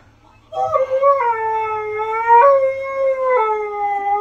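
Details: Husky howling after being praised and given biscuits: one sustained, wavering howl that steps up and down in pitch, held steadily for nearly four seconds with rich harmonics, little else audible.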